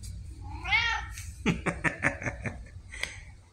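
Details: A loud arched meow from Pumpkin, a chatty female red tabby house cat, October 2023, then a rapid string of about seven short clipped chirping sounds, all over a low indoor hum.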